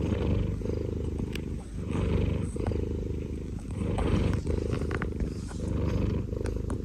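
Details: Snoring from an elderly cat, 19 years old: a steady, deep, grainy rumble that rises and falls gently with each slow breath, and nothing else clear behind it.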